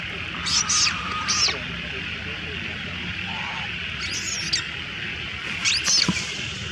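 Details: Little female monkey crying loudly as other monkeys steal her food: shrill, high screeching bursts in three clusters, each about half a second, over a steady insect-like hiss and outdoor rumble.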